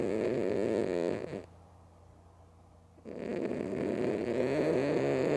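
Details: Sleeping with her eyes open, Mookie the female cat snores loudly: a continuous gravelly rumble, a pause of under two seconds for breath, then another long, harsh snore.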